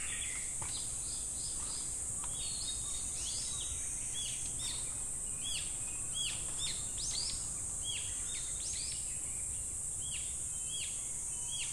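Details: A constant high-pitched cicada drone at Namegawa Shrine, Sukagawa, Fukushima, Japan, in summer, with many quick, sweeping bird chirps repeated throughout over faint low background noise.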